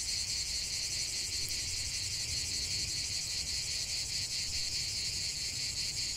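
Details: Outdoor cicada chorus giving a continuous shrill, pulsing buzz high in pitch, with a few brief clicks and low environmental noise beneath.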